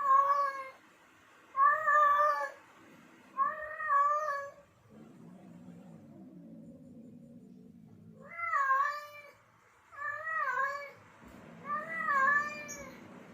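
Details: Male domestic cat in heat, calling to lure females: loud, yowling meows that bend up and down in pitch, given in bursts about every two seconds, with a low murmuring rumble filling a pause mid-sequence.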